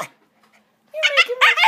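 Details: Male Boston Terrier indoors begging for a yoga ball his owner is sitting on: after a quiet pause, a burst of whiny, yelping vocalizations rising and falling in pitch, in several quick pulses.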